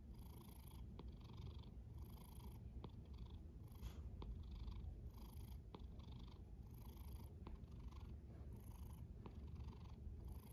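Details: A snoring cat's soft, deep rumble continues without break. Light airy breath sounds swell and recede about every second, and a few faint ticks are scattered through.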